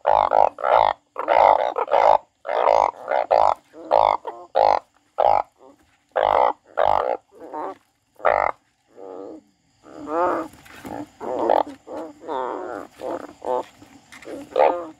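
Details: Frog crying: a rapid series of short, nasal, bleating notes, roughly two to three per second, then rougher overlapping wails in the last few seconds.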